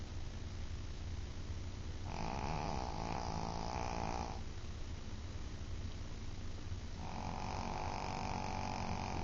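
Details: A small female Shih Tzu snores while asleep, with long, wheezy, whistling breaths over a steady low rumble.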